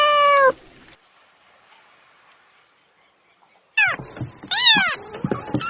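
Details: Laughing-sounding cat: one clear harmonic meow, a silent pause, then a burst of quick chirping, rising-falling meows and short clicks close together.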